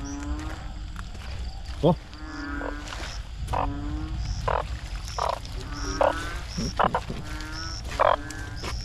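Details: Banded bullfrogs in Thailand in 2022, being caught to be cooked: low, droning, moaning croaks of about half a second each, repeated roughly every second, with sharp clicks and thin high-pitched tones in the background.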